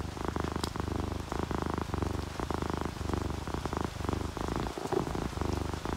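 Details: Happy, relaxed house cat, an orange tabby or calico, asleep and purring: a low, slower rumbling purr in uneven pulses of under a second each, with a brief high click and a soft background of rain.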